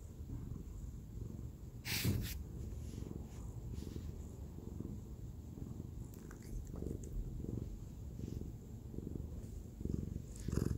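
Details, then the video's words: Purring from Nyang, a spayed eight-year-old white female cat born in 2011, snuggled in her owner's arms at home on a weekend; low rumbling purr in steady pulses, with brief rustling and soft clicks. "a cicada cat"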